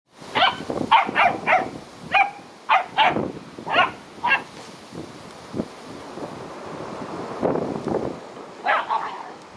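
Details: Korthals griffon with her litter on day 64; a run of short, sharp barks and yips in quick bursts, about two a second at first, then pausing before a final few yelps, with a person softly speaking.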